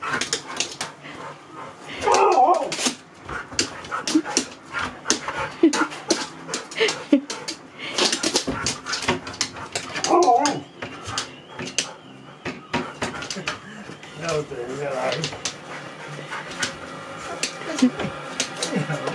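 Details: Sherpa the Husky, a dog living in a van, doing a happy dance: excited whimpering and squeaky howl-like vocal bursts come in clusters, with clicks and thuds of movement and a faint human voice now and then.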